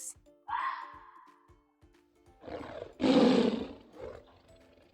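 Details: Tiger roaring, a deep rough growling roar swelling to a loud peak and trailing off into a shorter grunt, preceded by a sharp bark-like yap and soft music.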